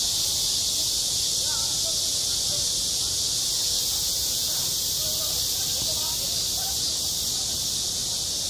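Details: Loud, steady cicada song in summer on a school playground: a shimmering high buzz without breaks, over faint chatter and small scattered sounds in the background.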